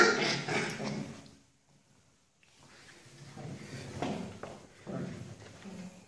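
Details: A small poodle puppy, seven and a half weeks old, gives rough, scratchy yaps and growly bursts in short clusters while playfully biting at an ankle.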